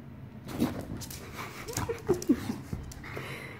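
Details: Enzo, an English Bulldog indoors, lets out short squeaky whimpers and grunts in a quick cluster, with soft household noise and a person speaking nearby.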